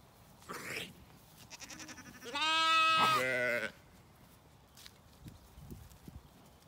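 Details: Zwartbles lambs on a regenerative farm in County Kilkenny, Ireland, in the evening while ewes eat a meal: one loud wavering bleat lasting over a second, preceded by fainter bleats and followed by quiet rustling.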